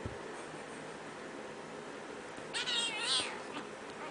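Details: Domestic cat, kitten playing with its angry mother; after a stretch of steady background hum, a short burst of two high, warbling meows lasting about a second near the end.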